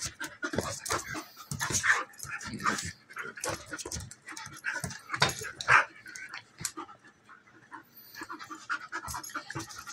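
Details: Two female dogs play fighting, a German Shepherd almost a year old and a half Golden Retriever mix: scuffling bursts of rough growls, snorts and panting in irregular clusters, with brief louder yelps near two and six seconds.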